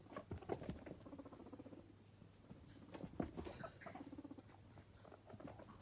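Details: Pet guinea pigs Toffee and Fudge, two happy boys, popcorning and munching carrot sticks: irregular footfalls and chewing patter with short buzzy, purring rumbles in two bursts.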